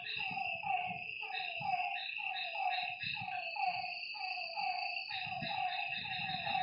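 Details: Night at a lake, where frogs call in a busy chorus of repeated, slightly descending croaks about one per second, layered over a constant shrill insect whine and soft low-frequency noise.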